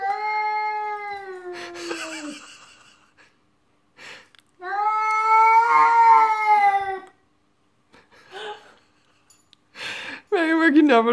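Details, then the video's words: Pet cat Tika indoors producing long wailing, talk-like meows: a sagging drawn-out call, a sustained wavering one after a pause, then a short rising-falling meow at the end, with soft background noises in the gaps. "Omg... my cat Tika speaks human!"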